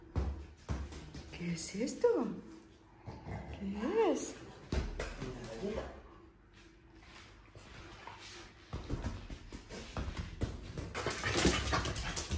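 A French Bulldog makes two drawn-out, whining vocal sounds that rise and fall in pitch.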